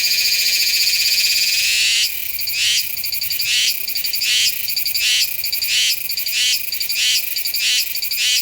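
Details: Meimuna iwasakii cicada from Nanzhuang, Taiwan, September, recorded on a Sony A7s3 and Rode VideoMic NTG: a two-second unbroken shrill drone shifts into evenly spaced, sharp buzzy pulses repeated about every two-thirds of a second.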